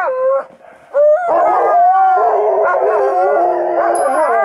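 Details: On a ski trip, the oldest of a group of Alaskan Malamutes raise a steady, dense howl: a short opening wail, a pause, then overlapping wavering voices held continuously to the end.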